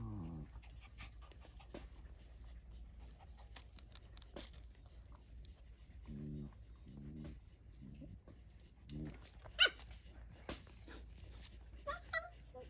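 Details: Puppy beside its mother dog; short, low harmonic whines and grunts come in small clusters, with a brief high squeal and scattered clicks and rustles in a quiet setting.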